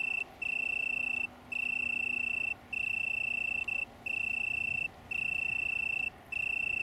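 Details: Small colony of Italian tree crickets near Brighton, England, on 21 September 2019, singing a clear, unwavering musical trill in near-second-long phrases broken by brief pauses, with a faint low hum beneath.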